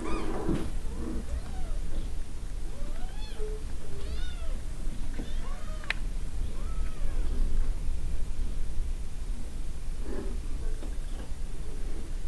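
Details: Domestic cat with kittens, jackrabbits around: a series of soft, short rising-and-falling meows scattered through the clip, fairly faint against a steady low rumble of background noise.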